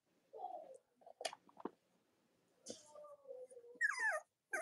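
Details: Cavalier King Charles Spaniel puppies from Robin and Myra's litters on a morning live stream: soft low whimpers, a few sharp squeaks, then a falling, whining squeal near the end, with quiet gaps between.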